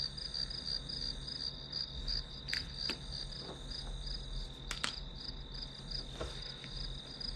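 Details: Grass insects chirping behind a study session, a high shimmering pulsed trill running throughout, broken by a few sharp clicks and taps like desk or page sounds, with a low steady hum underneath.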